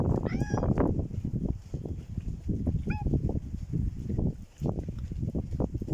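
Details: Hungry stray cat paying a visit: two short, tonal meows, one rising and falling near the start and a briefer one about three seconds in, over steady low thumping and rustling noise.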